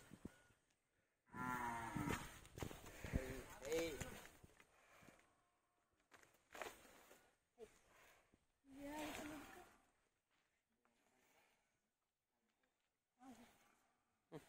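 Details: Hallikar male calf, fourteen months old, lowing in a series of loud, harmonic moos with a wavering, drawn-out pitch, the longest near the start, then shorter bursts and pauses, with brief human voices nearby.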